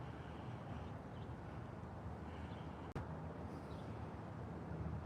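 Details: Steady low rumble of a passing vehicle with a brief click, and no animal voice.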